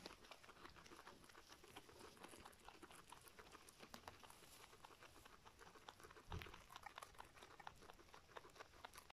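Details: Little guinea pig feeding: dense, fast crunching and nibbling clicks run steadily throughout, with one louder rustle near the end and no other animal sounds.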